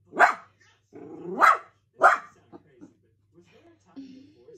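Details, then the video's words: Playful miniature dachshund giving three loud barks in quick succession, the second starting with a rising growl-like onset, followed by softer whines and small yelps. "Funny Miniature Dachshund NONSTOP playful"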